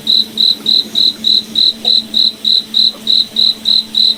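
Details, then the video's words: Night-time cricket in a forest, repeating bright, high chirps in a very regular rhythm, roughly three or four each second, over a soft low drone. "Cricket Night Forest Ambience"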